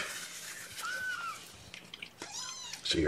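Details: Guardian kittens, a litter being bottle-fed formula by syringe indoors during the morning's first feeding; thin arched mews rise and fall, two main calls about a second apart, over soft room noise and a woman's voice.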